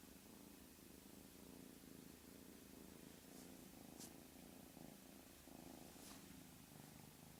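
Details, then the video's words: Pet cat purring softly and continuously in a low, rhythmic throb for several seconds, with a couple of faint brief hissy rustles. "Funny kitty sound"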